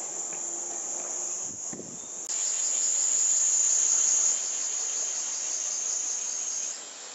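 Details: Cicadas in Japan in summer 2014, filmed on a Panasonic Lumix TZ20/22 and claimed to top 120 dB: a thin high whine that suddenly surges into a loud, intense shrill drone, then eases back near the end, after brief low thuds.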